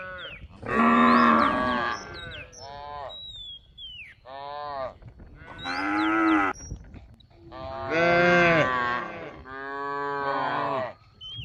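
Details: Cattle roam and graze in a rice field, calling with loud, long harmonic moos in about five separate bouts, each a couple of seconds long, bending up and down in pitch, with quiet gaps between and faint high chirps.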